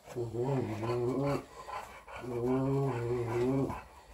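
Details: Four-week-old English Bulldog puppy, female, tussling with her teddy bear; two steady, low growls of about one and a half seconds each, separated by a brief pause, in a small indoor room.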